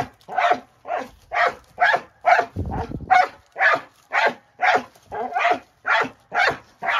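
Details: Excited barking from Moose the dog as he rolls his rock around, sharp barks repeating about twice a second, with a brief low rumbling scrape near the middle.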